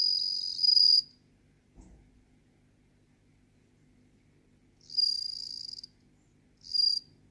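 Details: A bell cricket (Meloimorpha japonica) sings clear, high, ringing trills in bursts about a second long, separated by pauses.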